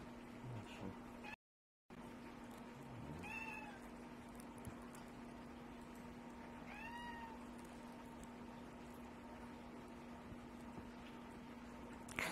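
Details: Male shelter-adopted house cat whining at the door to be let out after play stopped: two short arched meows, first near three seconds, second near seven, over a steady electrical hum, with one brief gap in sound.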